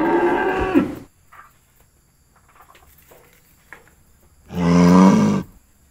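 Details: Cows kept in a cowshed. A moo is fading out at the start, then after a quiet pause with faint small knocks, a second full, low moo sounds for about a second.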